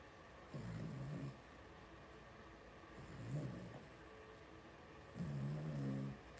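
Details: Two-week-old blenheim Cavalier King Charles Spaniel puppies, a litter of five born on New Year's, in the Red Barn Cavaliers puppy pen at home. Three low, throaty, snore-like grunts, each about a second long, spaced a couple of seconds apart, in a quiet room.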